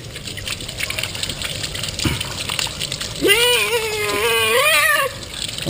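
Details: Pet cat, female, in the middle of her monthly bath: one long, strained meow lasting nearly two seconds, wavering in pitch and fading at the end, over the steady hiss of running rinse water, with a person speaking just before.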